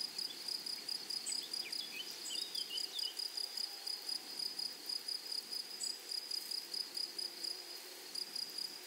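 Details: Grasshoppers in a flowery meadow, a steady high-pitched chirping in quick regular pulses, about four each second, with a fainter buzz above and a few brief thin whistles in the background.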